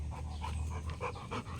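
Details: A Rottweiler pants between rounds of catching a thrown ball. Short airy puffs come in rapid succession, roughly every third of a second, with a low droning hum underneath.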